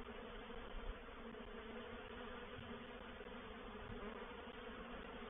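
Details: Honey bees of a reproductive swarm settling into a swarm trap at Painted Peacock Manor on 04/07/21. A dense, even, unbroken buzzing drone throughout.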